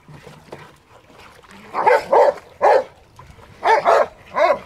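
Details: A Rottweiler playing in water barks loudly in short, uneven, punchy bursts, often paired in quick doubles, with softer rustling and faint background noise between barks.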